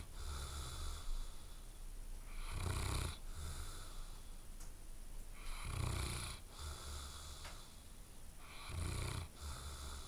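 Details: Snoring dog fast asleep, drawing three noisy rasping breaths roughly three seconds apart, each a low rumble with hissy airflow, quieter breathing between.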